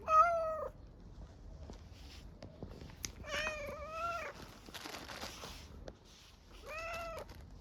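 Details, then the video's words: Hungry street cat in Istanbul begging for food: a short meow, then a long wavering, bending meow, and later a rising-falling meow, with rustling and faint clatter in between. "Hungry street cat meows for food with a strange sound"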